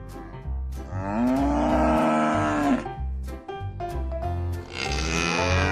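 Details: Cattle giving one long, low, slightly arching moo lasting nearly two seconds, with another moo beginning at the end, over continuous rhythmic background music.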